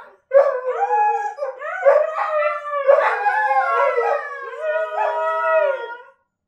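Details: Pet dogs howling in chorus, Kiska among the choir: several voices blend into sustained, harmonic, slowly sliding howls lasting about six seconds, with short yelping onsets at the start.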